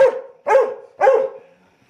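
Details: Three short, punchy barks about half a second apart come from a 19-week-old Labrador Weimaraner mix puppy awaiting adoption in Chattanooga, Tennessee. Each bark is mid-pitched and ends in a brief fading tail.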